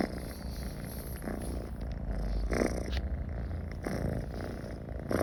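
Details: Pet cat comfortable near people, purring in an even, low, vibrating drone that barely changes in loudness, with faint breathy pulses every second or so.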